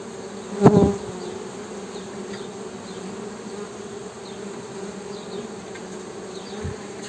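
Honey bees hum steadily, a low droning buzz from their beating wings with a few brief knocks.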